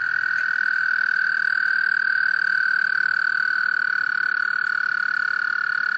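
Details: A male American toad calls females to a small breeding pond in Laurens County, South Carolina, USA, March 2014: one unbroken, even, musical trill held at a steady pitch for the whole stretch.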